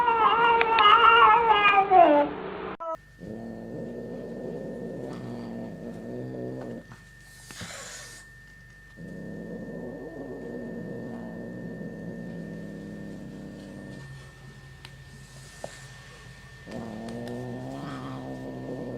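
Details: Angry domestic cat giving one loud wavering yowl at the start, then several long, low, moaning growls of a few seconds each, separated by short quiet gaps.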